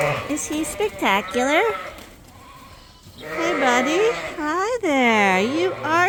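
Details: Suffolk lambs at Ewetopia Farms, several groups mixed together in one barn after a gate was left open; wavering, harmonic-rich bleats in two main bursts separated by a quiet gap near the middle, with overlapping calls from more than one lamb.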